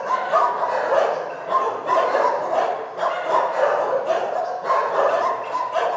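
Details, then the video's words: Shelter dogs bark in a crowded overlapping chorus, with sharp barks and higher yips in rapid bursts roughly every half second. The noise stays steadily loud throughout. "Psy szczekają w schronisku"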